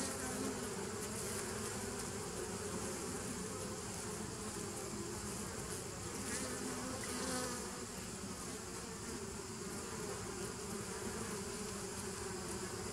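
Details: Bees of the 2017 nuc buzzing on 27 September 2018, a thick constant hum with a brief swell in loudness and brightness partway through before settling back to an even drone.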